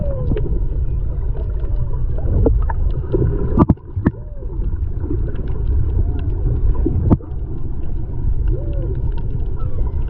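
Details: Whale song off Maui, Hawaii, February 2020, recorded underwater by a snorkeler's GoPro: repeated arched, swooping moans rising and falling, several sharp cracks and clicks, set against loud low rushing water noise.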